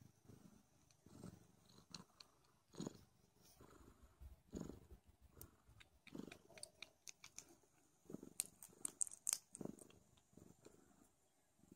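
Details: Don Sphynx kittens nursing loudly. A quiet, low rumbling purr runs throughout, with frequent sharp suckling clicks and smacking sounds that grow busier toward the end.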